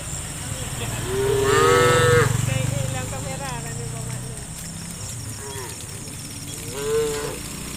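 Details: Tame cattle on the way to the farm pen give a long wavering moo followed by quieter calls and one short rising moo, over a low engine-like rumble and high insect hiss.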